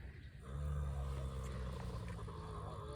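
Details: A female horse lying on the ground makes a deep, growly snore, a steady low rumble for several seconds with little pitch change; she does this only when lying down, and it stops when she stands.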